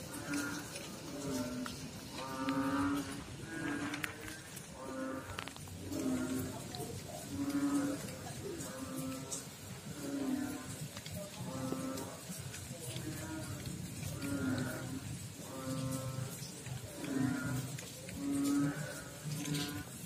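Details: Steady run of nasal, harmonic croaks from frogs in water, roughly one every second or two for twenty seconds. Several callers seem to overlap above a low rumbling background.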